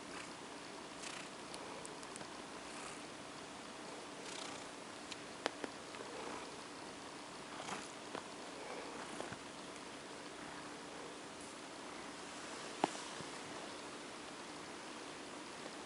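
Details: OCD Cat, a female house cat, petted to sleep; a continuous low, even purr underlies gentle rubbing sounds and scattered faint taps over about sixteen seconds.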